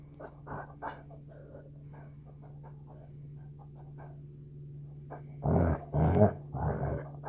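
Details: Basset hound puppies in a standoff indoors; quiet low snuffling and grunts, then three loud gruff barking bursts near the end, with a steady low hum underneath.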